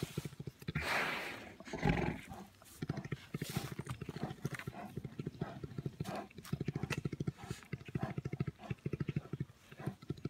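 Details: Orphaned bears wrestling give a deep, fast-pulsing purr, a steady motorlike low throb, broken by rougher huffs, grunts and growly bursts; faint voices are heard.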